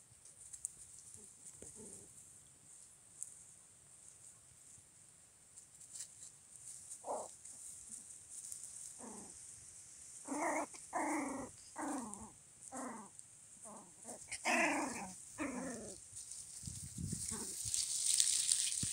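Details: Jack Russell Terrier puppies exploring, giving short high whines and yelps in quick bursts, clustered in the second half with a run of about a dozen rapid squeals, over a faint steady hiss.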